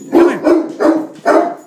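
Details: Hurley, a Great Dane, in attack mode at a beer keg, lets out four deep, rough barks in quick succession, roughly one every 0.4 seconds, each loud and booming.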